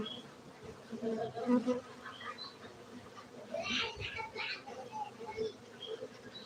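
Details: Steady humming of honey bees at a cultivation centre in Gayo, Aceh, Indonesia, with faint chatter, clicks and small higher-pitched noises mixed over the drone.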